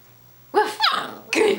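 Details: A female Alaskan Klee Kai puppy, 10 weeks and 3 days old, learning to speak on command in January 2011, gives short, high, yappy barks: one quick pair, then a single bark.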